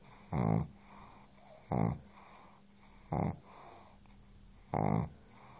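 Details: Pug Chance, deeply asleep on a sofa, gives four regular, throaty snores about one and a half seconds apart. Each is a short rumbling rasp, with faint breathing hiss between them.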